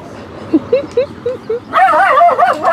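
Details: A Yorkshire Terrier flirting: a series of short, high, rising whines and squeaks in quick succession, followed by a louder, wavering, voice-like whine run that fills the last second.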